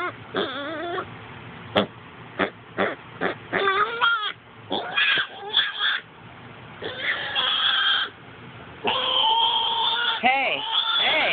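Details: Pet pot-bellied pig "talking" to its owner: varied squeals and grunting bursts, some with wavering, bending pitch, delivered in uneven clusters, with the owner's voice faintly mixed in.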